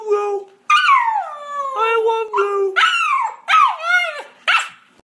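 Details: Rescued Siberian Husky puppy, indoors, 'talking' as if trying to say I love you: a run of short whining howls, some sliding steeply down, others rising then falling in pitch, each under a second, with brief pauses between.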